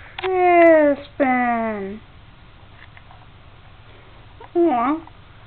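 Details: Crispin the kitten, staying at a house until a home is found for him, meows twice in long drawn-out falling cries, then adds a shorter wavering mew after a pause, indoors with a person's voice nearby.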